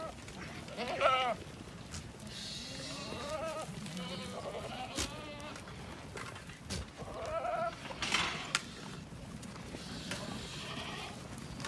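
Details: Ardi goats from a goat-raising herd giving several wavering, nasal bleats with stacked harmonics, near 1, 3.5, 7 and 8 seconds, over a steady background hiss and low rumble.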